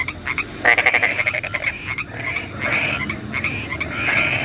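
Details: A frog at night in the rain gives a rapid pulsed croak burst of about a second, followed by softer, drawn-out croaks from others over a steady high hiss.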